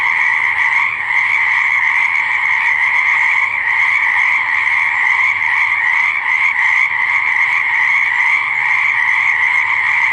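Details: Frogs croaking by a pond or swamp: a dense, unbroken chorus of many callers merging into a steady high-pitched trilling drone, with no pauses for the full ten seconds.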